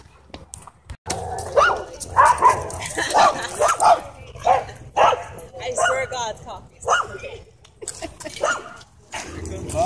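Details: Aggressive husky pinning another dog at a dog park: repeated sharp, harmonic yelps and barks in quick irregular bursts, mixed with people talking over the scuffle.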